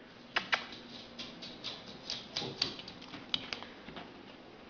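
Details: Sharp clicks and light clattering knocks sound in a small room over faint hiss, with no animal sound.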